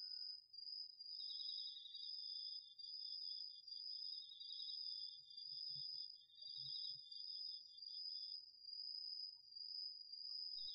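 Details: Crickets and other autumn insects in a home garden plot at night, DR-40X recording. A sustained shrill tone persists throughout, joined by a lower pulsing trill in long bursts, the whole chorus rising and falling roughly every second; a few soft low thumps midway.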